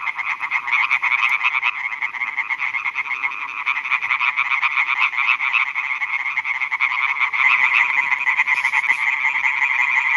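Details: Night chorus of male European tree frogs at new meadow ponds in Schleswig-Holstein, Germany, calling for females; rapid nasal pulses repeat almost three times a second, many callers merging into a steady rattling wall of sound.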